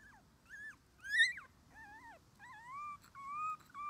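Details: Red male Shiba Inu puppy, 21 days old, born 24 January 2021, beginning outdoor play beside its mother: a series of about seven clear whimpers, arched and falling at first, then longer, steadier drawn-out whines.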